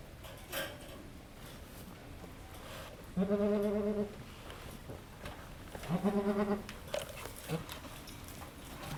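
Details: At Needham Goat Farm, Halley Berry the goat labours with her second of three kids: two drawn-out, low, vibrato bleats roughly two and a half seconds apart over quiet background.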